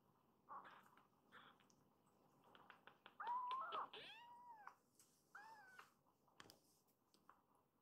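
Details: Rescued kittens in temporary foster care awaiting adoption, snuggling up to their mother cat after waking from a nap; a string of short high mews, then a louder drawn-out rising-and-falling meow and two more arched mews in a quiet room.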